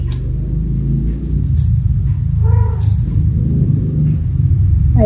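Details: Kittens playing chase and jumping together indoors; one short, clear kitten meow midway, then a brief rising cry at the very end, over a steady low rumble with background music and Indonesian speech.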